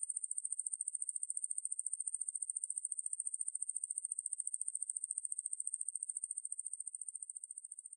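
A coneheaded katydid gives a continuous, high, hissing buzz made of rapid, even pulses.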